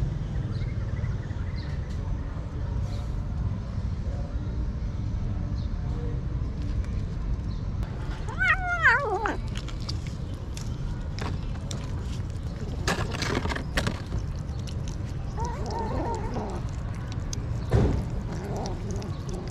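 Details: Stray kitten fed on the street, giving a few short rising-falling meows near the middle of the recording over a steady low rumble of traffic and background noise, with clattering knocks and a fainter meow later.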